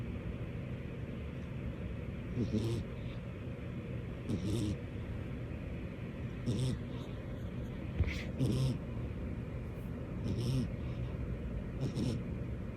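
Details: Butters, a female cat, snoring while asleep on her owner's lap: soft, low rasping breaths that swell roughly every two seconds over a steady quiet hiss, with no other voices.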